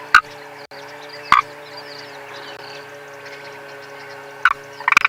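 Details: Hidden frog calling from somewhere inside a safari vehicle on a sunrise drive, 7 January 2022: short sharp clicking croaks at about 0.2 and 1.4 seconds, then a pair of rapid rattling bursts near the end, over steady engine hum and faint distant bird chirps.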